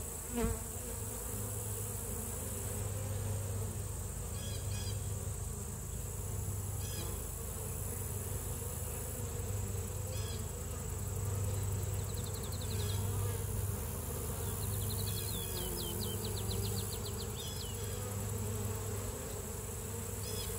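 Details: A steady, low droning hum from honey bees massed at a beehive, with faint high chirps behind.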